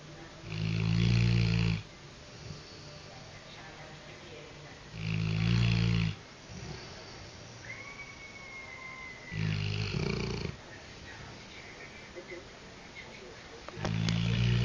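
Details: Sleeping golden Labrador retriever snoring: loud low rumbling snores about every four seconds, each lasting around a second, with quiet pauses between; a brief faint whistle-like tone midway.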